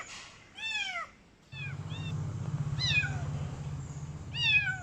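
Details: A female Khao Manee kitten with blue and green eyes meows loudly, giving high, thin meows that fall in pitch, repeated every second or so.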